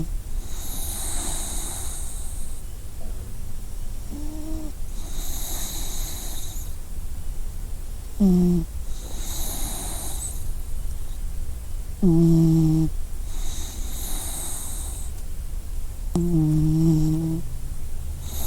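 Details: Sleeping dog snoring: soft airy inhales alternate with short low, voiced, slightly whining exhale snores, roughly every four seconds, over a steady low background hum.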